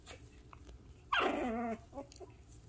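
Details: Six-week-old Shih Tzu puppy just after a bath gives a single drawn-out whine lasting over half a second, starting high and sliding downward with a strained, harmonic-rich tone, followed by two short soft squeaks against faint indoor background noise.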